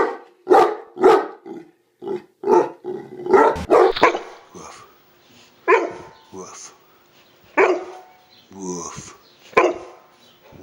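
A Neapolitan Mastiff gives a string of odd, strained barks, some breaking into rough, moaning woofs.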